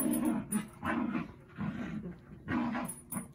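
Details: Pet dogs Zuko and Izzy at play, with soft, low growling rumbles in short bursts roughly every second and light scuffling noise in the room.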